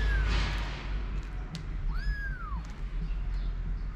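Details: Four-week-old kitten in a litter with its mother, the others feeding while a ginger male plays: one clear, high, arched meow rising then falling mid-passage, with a faint squeak at the start and low background rumble.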